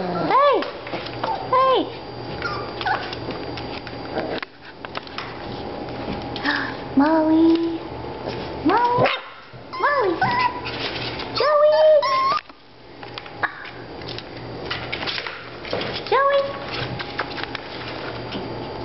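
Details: Litter of five-week-old Miniature Australian Shepherd puppies greeted by name indoors; scattered sharp yips and short whines break through continuous friendly speech, coming every few seconds.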